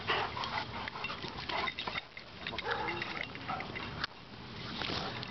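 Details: Dog park romp between English Mastiff Dozer and Boxer Bo, still playing: bursts of harsh snorting grunts and huffs, a sharp knock around four seconds, with open-air background hiss and a person's voice.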